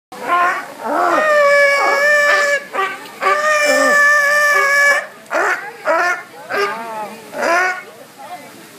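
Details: Noisy sea lions at SeaWorld, calling loudly: long, harmonic, honking cries held for about a second each, then a run of shorter, rising barks coming roughly once a second toward the end.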